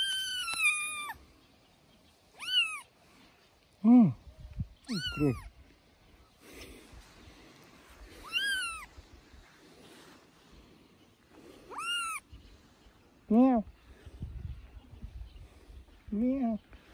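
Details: Three-week-old kitten playing on a man's shoulder and meowing loudly. About nine clear meows come over seventeen seconds, some high and falling, others lower and more drawn out, with quiet gaps, soft rustling and handling noise between.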